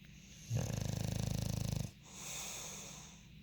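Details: A rapid, fluttering snore from Monty, a sleeping bulldog in the UK, rattles for about one and a half seconds. A gentle airy exhale follows.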